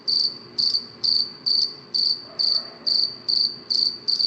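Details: Crisp, high-pitched cricket chirps at night, each short pulse train repeated a little over twice per second, clean and regular against a quiet background.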